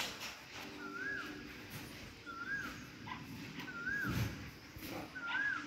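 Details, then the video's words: Monkey calling while eating: short whistled notes that rise and then fall, repeated four times about every 1.4 seconds at a steady pitch, over low rustling and chewing-like background noise. "Monkey 🐒 eating and making sounds"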